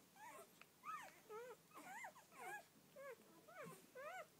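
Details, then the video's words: First-litter Rhodesian Ridgeback puppies, twelve in all, give a string of clear harmonic yelps, each a short curved note rising and falling, about one per second, in a quiet room. "My Rhodesian ridgebacks first litter"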